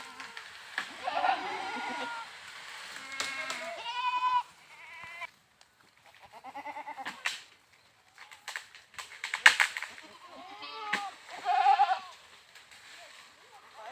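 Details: Goats on an Indian goat farm bleating loudly in several wavering, harmonic-rich calls spread across the clip, some drawn out and quavering, separated by short quiet gaps with occasional clicks and handling noise.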